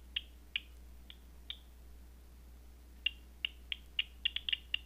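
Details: Bat detected at night with a Batseeker 4, sounding as scattered sharp pops, a few spaced clicks, a pause of over a second, then a faster, irregular cluster of clicks.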